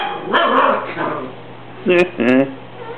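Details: Cocker Spaniel puppy reacting to a broom during housework, a person talking first, then two loud, clear barks near the end over a steady low hum.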